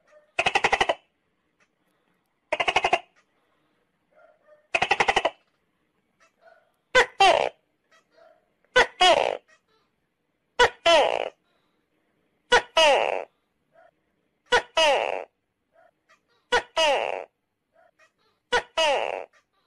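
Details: Tokay gecko calling: three harsh, buzzy rattling bursts at first, then a run of loud two-part calls, each a sharp click followed by a falling, harmonic-rich croak, repeated roughly every two seconds in a quiet setting.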